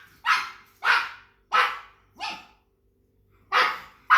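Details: Pug barking in short, sharp, harsh bursts, four barks spaced about two-thirds of a second apart, then a pause of about a second before two more barks.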